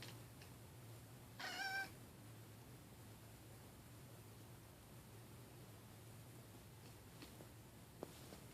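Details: Domestic cat indoors giving one brief harmonic raptor-like chirp that rises and breaks off after about half a second. A quiet room hum runs underneath.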